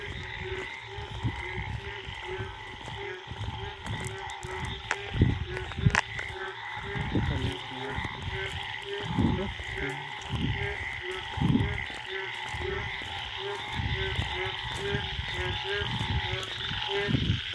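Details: Indian wild frogs calling in a forest late at night after the first rain of the rainy season, a mating chorus of steady croaking bands with irregular low thumps and rumbling underneath.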